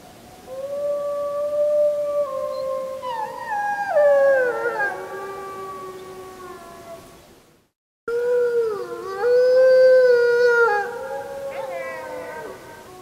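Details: Wolves howling at the full moon on 31 July 2015, recorded with a JVC Everio camcorder: long, sustained, steady howls with overlapping voices that bend and waver, a brief silent break midway, then more layered howling.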